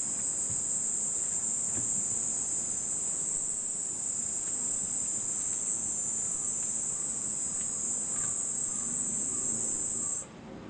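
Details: First cicada of the year in Nishinomiya, Japan, near the close of the rainy season: an unbroken, piercing high drone holds steady for about ten seconds, then cuts off abruptly, over soft household background noise.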